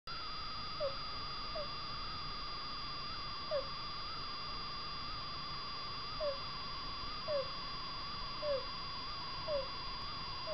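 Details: Sleeping degu making an abnormal squeaky 'kuu kuu' noise with its breathing, a sign of illness rather than plain snoring; short soft squeaks come about once a second over a steady electrical hum.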